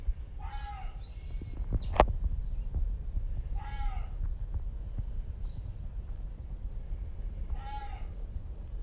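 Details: Reeves's muntjac, heard but unseen on Izu Oshima, calling on and on. Three short, harmonic barks that bend slightly downward, spaced about three and a half seconds apart. High thin bird whistles sound between the first two, over a low rumbling background.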